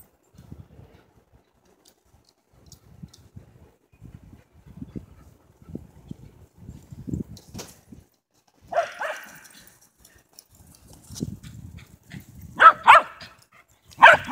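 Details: Whippet Twiggy and sheltie Foxy, both 11-year-old females, playing chase at Big Star Lake, Michigan; soft patter and scampering for several seconds, then a single bark followed by a quick double bark and one last sharp bark near the end.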